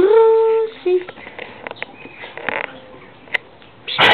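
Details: Kizzy and Mollie, a Labrador and a Drentsche Patrijshond, playing together in an empty garden: a steady, drawn-out whine with rich overtones lasting under a second, then a brief lower note and scattered scuffling and thumps.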